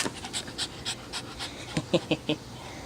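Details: Pet dog Bada, good at fetching and bringing back things, panting after play: quick breathy puffs repeated roughly every quarter second, about ten in all, the final few sharper and louder, with a faint human voice in the background.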